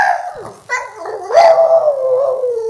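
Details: Female Boston Terrier pining for an absent person, howling when his name is mentioned: a drawn-out, tonal, wavering howl that swells, peaks, then slowly falls and trails off, with a woman's voice calling nearby.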